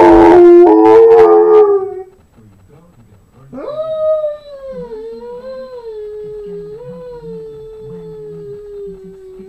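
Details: Pet dog Harley, singing to TV jingles and theme songs. A loud harmonic burst opens the clip, then a brief pause, then a sustained wavering howl that rises sharply and holds steady with slight wobbles for several seconds.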